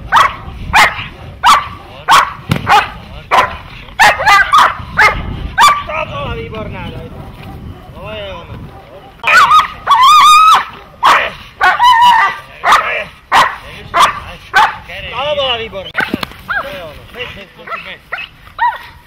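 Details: Protection-training dog barking in bursts, some barks fast and clipped, others drawn out and strained, with a short pause midway and human speech in between.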